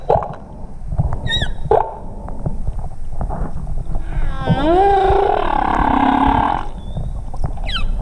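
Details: A humpback whale (Megaptera novaeangliae), recorded underwater while swimming with whales in Tonga in 2017, gives a long, rising, moaning cry over deep, rumbling underwater noise.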